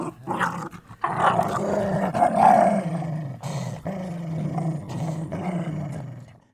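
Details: Sustained deep dog growl, rumbling and raspy, swelling louder in the first half then gradually fading toward the end.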